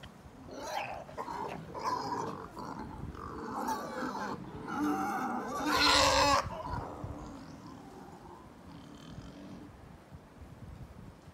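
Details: Wild boar giving loud rough grunting and snorting calls in a series, building to a harsh burst around the middle, then fading to quieter grunts.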